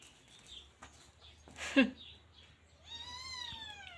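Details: Teething Scottish Fold kitten named Look Tan: a few soft clicks and a brief thump come first, then a single clear meow swells upward and holds near the end.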